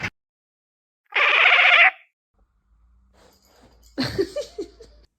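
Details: A black cat gives one loud, steady meow lasting under a second, rich in stacked overtones, followed by a brief silence and then a person's voice speaking to it.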